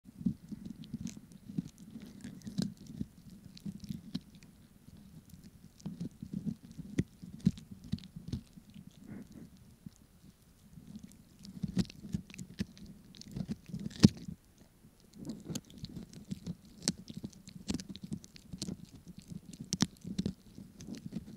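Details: Pomeranian eating a snack, recorded for ASMR: steady soft smacking and wet chewing throughout, with sharp crunchy clicks scattered over the whole stretch and a few brief pauses between bites.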